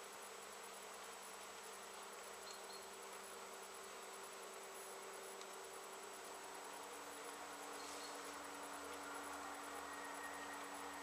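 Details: Honey bees foraging in great numbers around late-season flowering Japanese knotweed bushes, 14 September 2013; a steady, low droning hum of many wings continues throughout, with a faint constant high whine and soft background hiss.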